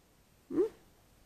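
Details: Hobo, a juvenile male grey-headed flying-fox in care after being found on the ground beside a busy road, gives one short squawk lasting about a fifth of a second. The squawk rises and then falls at low-mid pitch, and the room is quiet around it.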